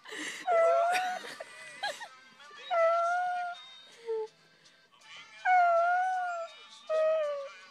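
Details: Howling dog, Jville, 2012: a series of drawn-out, slightly wavering howls with short gaps, mixed with clattering noises and music-like sounds.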